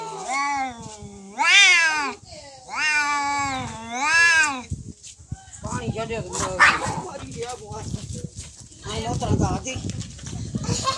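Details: Domestic cats in a real fight: four long, loud wailing yowls with rising and falling pitch fill the first half, followed by scuffling, hissing bursts and rough noisy snarls.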